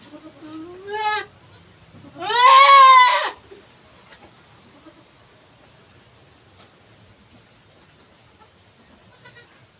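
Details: Bleats of a goat during a birth: a soft rising bleat, then a loud strained, trembling bleat of about a second, followed by near silence and a faint background hum.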